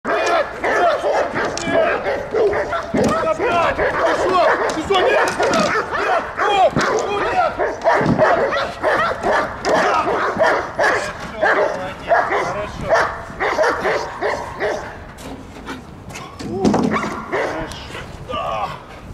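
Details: Belgian Malinois attacking during protection training at the STRAZH service dog training centre in Odesa, Ukraine; rapid, dense barking bursts run throughout, overlapped by people talking and shouting commands.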